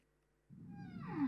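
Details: Whale song played back during a talk on marine animals, which can carry over 1000 km and is sung with the mouth closed; silence, then a sudden swell of harmonic moaning ending in a descending tone.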